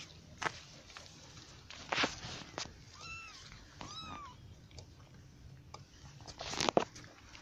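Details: British cat mother eating ryazhenka (fermented baked milk) alongside her young kittens; two short, high, arched mews about a second apart, between sharp clicking and lapping noises and low background hum.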